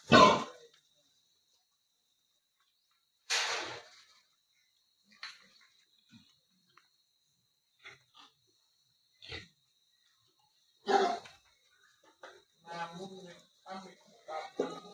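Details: Wild boar being caught and put back into a cage: short, harsh, noisy bursts near the start, at about three seconds and again near eleven seconds, with fainter scattered sounds and quiet rustling between them.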